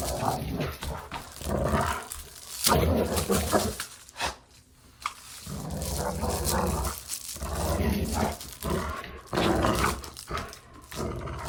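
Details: Dog at play growling over about eleven seconds: rolling, throaty rumbles that rise and fade in waves, with breathy snorts and short pauses between bouts.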